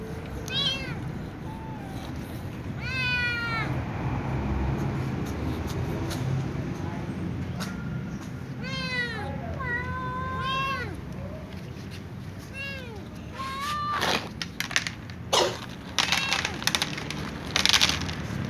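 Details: Before eating, a little ginger cat and a young white cat meow with other cats nearby; clear arched harmonic meows in the first half, a sustained tone, then clattering knocks and fainter calls later over a low hum.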